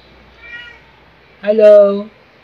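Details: Domestic cat from a pair of pets, Luna the black cat and Angel the tabby, filmed September to December 2018: a faint short tone, then one clear harmonic meow lasting about half a second, steady and slightly falling at the end.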